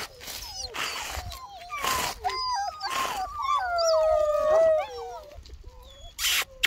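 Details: Two-month-old Bernese Mountain Dog puppies whining: long, wavering, high whimpers that rise and fall, swelling into a sustained moaning cry midway, with bursts of rustling and clicking noise between the cries.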